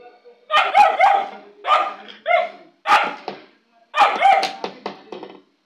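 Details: Black female Labrador retriever giving a series of loud, ringing barks and yelping woofs, five main bursts with tonal, slightly whining edges, spaced under a second apart, no other sounds.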